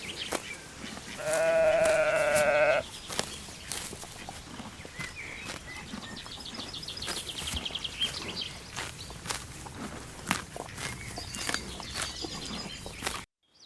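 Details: Young lambs grazing in a green forest; one steady, drawn-out bleat of over a second stands out early, followed by a clicking, rustling background and faint high bird calls.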